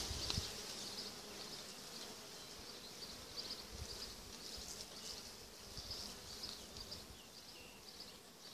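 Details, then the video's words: Honey bee swarm settled on an apple tree on 12 June 2017, large enough to fill about six to seven Dadant frames; a steady high, hissing hum with brief louder surges and faint low thumps. "A swarm of bees on an apple tree."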